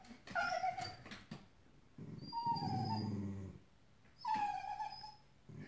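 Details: Dogs whimpering and crying while chasing a feeding squirrel on a hot morning; two high, wavering whines, each about a second long, separated by a stretch of low human speech.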